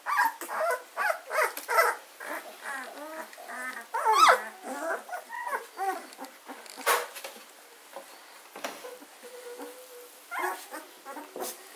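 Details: Fourteen-day-old German Shorthaired Pointer puppies from Katelands gundogs, recorded 24 August 2016, whimpering in quick overlapping bursts, busiest in the first half and thinning to sparse squeaks later.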